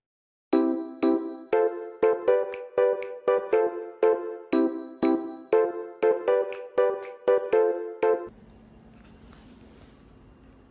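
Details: Bright chiming bell-like music notes struck about twice a second for eight seconds, then falling away to a faint low hum with no animal voice.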